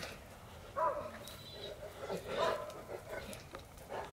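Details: Dogo Canario dogs Alcatraz and Ehdzi at home in their backyard; two short tonal whining yelps, about a second and a half apart, over faint rustling background noise.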